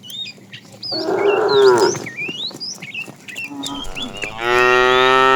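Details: Cattle from a tame herd roaming far for food. A full, wavering moo is followed by a second call that rises into a strained, higher bellow, with birds chirping throughout.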